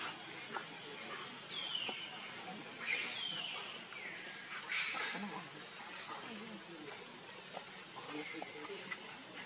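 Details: Baby monkey Leo crying to beg its mother for milk while hungry: a few thin, high, descending whistled cries near the start and middle, set against a steady hiss and faint low rustling.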